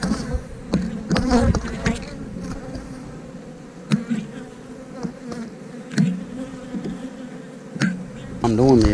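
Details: Honey bee colony humming during a hive inspection, a continuous low buzz with a louder whining bee passing close at the start and end, punctuated by clacks of frames being moved.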